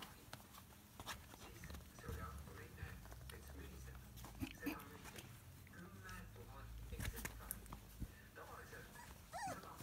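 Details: Golden Retriever puppies of a litter 26 days old at the Ringokris kennel, giving scattered soft high whimpers and squeaky whines, ending in a rising whine, amid rustling, handling noises and low background rumble.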